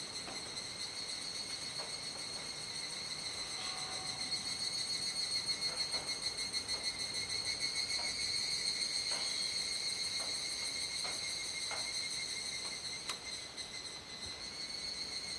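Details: Cicada chorus at dusk in Kuji, Iwate Prefecture, Japan, 17 July 2017, around 19:11–19:25, during the rainy season; the callers stayed unseen. A steady, shrill, high buzzing drone with faint pulsing swells mid-clip, with scattered soft clicks.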